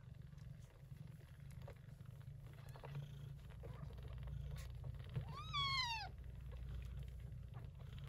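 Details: Gray short-haired Persian Chinchilla mother cat tending her kittens, born during a typhoon in early September. A steady, low rumbling purr runs throughout, with one clear high rising-then-falling kitten mew near the end.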